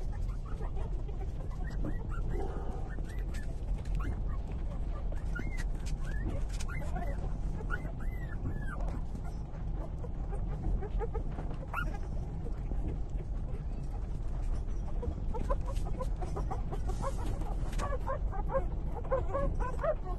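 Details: Puppies aged three days breastfeeding from the mother dog, with bursts of thin arched squeals and whimpers in clusters, quieter stretches between, and a continuous low hum underneath.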